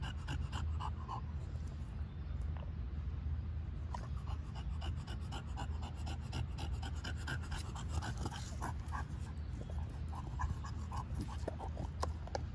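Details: Overheated bulldog with an ice cube dog toy, breathing in quick rhythmic pants early on that grow looser and more irregular, broken by a few soft clicks and licking sounds over a steady low hum.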